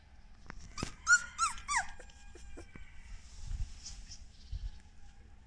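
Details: A litter of solid golden English Cocker Spaniel puppies, filmed 9 February 2020, give a quick run of high, squeaky whines that slide downward.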